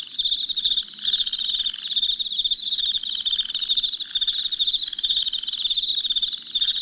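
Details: Crickets chirping at night: a dense, continuous high-pitched pulsing trill holds steady throughout, while a lower buzzy pulsed layer swells and fades in waves about every second. There are no voices or music.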